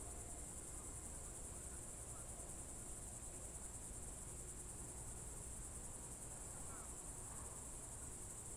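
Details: Crickets on a June 2023 evening in the Novye Buregi tract, Novgorod Oblast: a steady, unbroken high-pitched shimmering trill runs throughout without pauses, over a low rumbling background.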